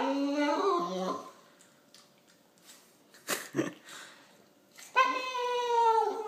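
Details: Boston Terrier and Fox Terrier cross, jealous while another dog eats, gives long harmonic whining howls at the start and again near the end, with quiet gaps and a person saying short commands indoors.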